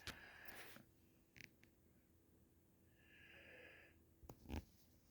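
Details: Sleeping Doberman snoring indoors: a soft, breathy wheeze on the breath near the start, a longer hissing snore a few seconds later, and a few sharp clicks and thumps in between, all quiet in a small room.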